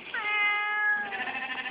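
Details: Female barn cat known as the Whiny Cat, living on a farm, lets out a long level whining meow that fades, followed by wavering bleats of sheep in the background while a person answers her.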